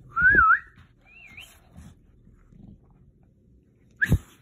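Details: Whimpering from bulldog Murph meeting a talking cactus: a loud wavering whine that wobbles up and down, a softer high squiggle after it, then a sharp short yelp-like whine following a pause.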